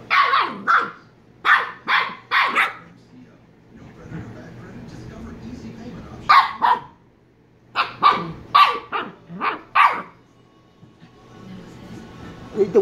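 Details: Shiba Inu pup from Kyno and Niro barking in clear, loud bursts: a quick series of five or so sharp barks, a pause with faint murmuring, then another rapid cluster of about six barks, and a final soft yelp.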